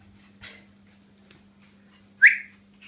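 Yorkshire Terrier puppies: one lets out a short, thin whine that sweeps upward and fades, with a softer squeak before it. A constant low electrical hum runs underneath.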